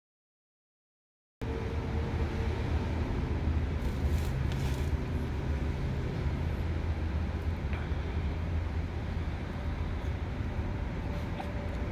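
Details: A second of silence gives way to a steady low rumble of traffic and passing vehicles, with a few faint clicks and no animal sound.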